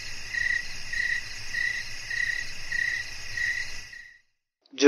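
A cricket sings a steady, high trilling chirp that pulses in regular bursts about twice a second.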